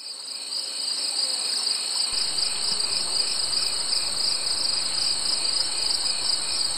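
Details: Summer insects in a dense, unbroken chorus: two steady shrill buzzing bands, one high and one very high, with a faint pulsing texture that holds level throughout.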